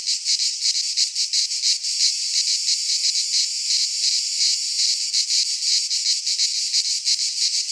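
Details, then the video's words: Cicadas singing in midsummer in a pine forest in Greece: a dense, continuous buzzing chorus, high and hissy, pulsing roughly three times a second with no other sounds. "Cicadas singing in midsummer - Nature sounds from the Greek fauna - Sounds of cicadas"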